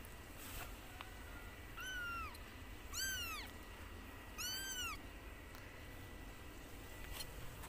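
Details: A white mother cat plays with her kitten. Three high-pitched meows, each rising briefly and then falling, come about a second and a half apart over soft rustling and clicks.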